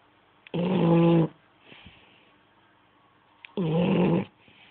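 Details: Ferrero, a French Bulldog, snoring: two loud, rasping, harmonic snores about three seconds apart, each lasting under a second, with quiet breathing between.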